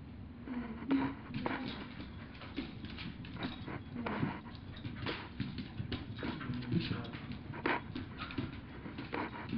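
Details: A two-year-old mini Aussie and a one-year-old chihuahua wrestle in play, giving short growls and grunts amid steady scuffling and panting, with brief clattering knocks throughout.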